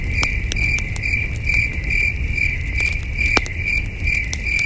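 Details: Distant crickets chirping under a starry night sky at a campsite: bright, pulsing high-pitched trill notes repeat steadily, while a campfire pops loudly now and then and low rumbling fills the background.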